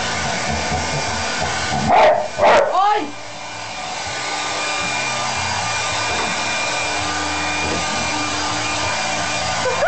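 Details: Labrador Retriever named Toby, being dried with a hairdryer after a shower, lets out two quick barks followed by a falling whine, with the hairdryer whirring loudly throughout.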